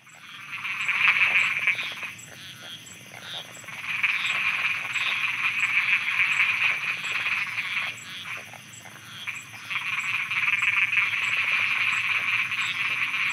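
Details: Frogs croaking at night in Thailand: a dense chorus of rapid, rattling croaks that swells and fades in waves, about four per second, over a steady high ticking in the background.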